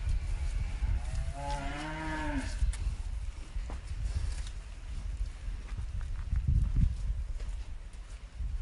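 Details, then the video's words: A single cow moo: a short, harmonic lowing call that bends upward then eases off around two seconds in, followed by low rumbling background noise and a few thuds. "Cow Sounds And Cow MOOOOO Sound Effect"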